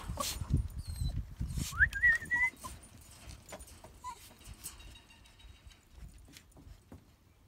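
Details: Jack Russell Terrier giving a short, high whine that rises sharply, then wavers, about two seconds in. A fainter tonal squeak follows. Thumps, rustling and low rumbling handling noise run throughout.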